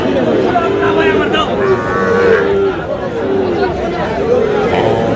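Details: Sahiwal bull calves at a cattle market in Barishal, Bangladesh, on 28 July: drawn-out, low lowing moos, several overlapping, carry through steady crowd chatter and men bargaining nearby.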